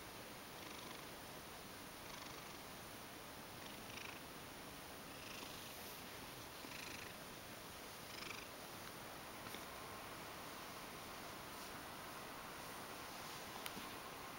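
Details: Mojio, a Ragdoll cat, purring as it comes close wanting to be stroked indoors; a soft, steady purr swelling faintly about every one and a half seconds with each breath, under constant room hiss.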